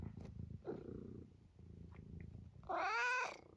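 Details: Indoors, Eric the vocal senior tabby cat from Great Britain, close to 12 years old, amuses himself: faint chirps and low rumbling first, then a long, loud, wavering meow with rich harmonics that rises and falls before stopping.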